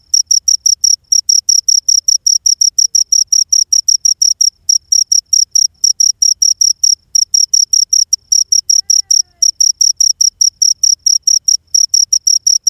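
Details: Steady run of piercing high chirps from a ghingur insect, short buzzy pulses in a fast even series, two or three each second, pausing briefly now and then; background otherwise silent.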